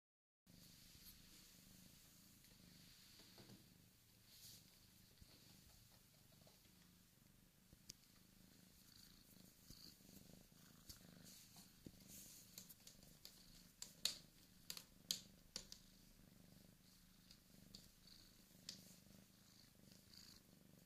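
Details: Bengal kitten named Dan, born 14 August 2015, from the Sunspot Charm cattery, purring steadily with a low pulsing rumble throughout, overlaid by scattered soft clicks and rustling taps.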